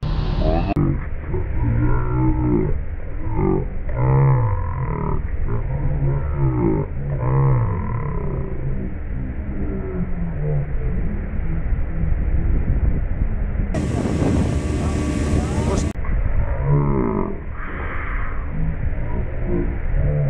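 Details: Killer whales (Orcinus orca) in the open North Atlantic, hunting a blue shark caught on a longline, give repeated rising and falling pulsed calls over a low rumble of water noise.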